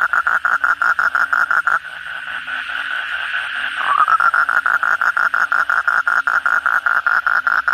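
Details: Asian common toad (kodok bangkong) chorus at night following heavy rainfall: rapid repeated pulsed notes that pause briefly midway, then resume with a rising sweep into the same quick, even rhythm.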